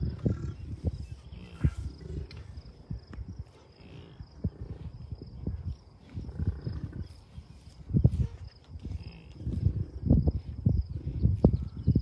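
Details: American bison herd of cows, a few bulls and dozens of calves at Rocky Mountain Arsenal Wildlife Refuge, Commerce City, Colorado, on June 2, 2022: deep, rough grunts repeating irregularly, with wind noise throughout.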